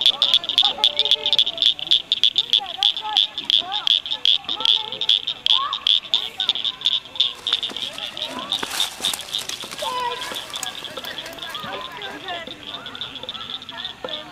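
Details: Blanchard's cricket frogs in chorus at Cricket Cove Park near Cygnet, Ohio, May 2006. Dense, rapid high clicking from several frogs, loud at first and then thinning, with lower twittering chirps mixed in.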